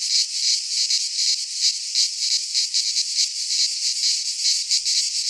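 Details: Cicadas in a Greek pine forest during midsummer give an intense high-pitched metallic drone that swells and dips in quick waves, steady from start to finish.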